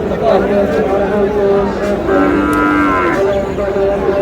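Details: Sahiwal bull calf at a cattle market in Chattogram, Bangladesh, before Qurbani: a sustained, steady moo with a rising-then-falling tone in the middle, heard over faint crowd murmur.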